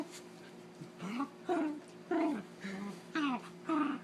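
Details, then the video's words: Holly, a pet dog, making funny noises while play-fighting with Zeus: a run of short, strained, whiny growl-moans, each rising then falling, roughly one every half second, with quieter gaps between. "Holly making noises fighting"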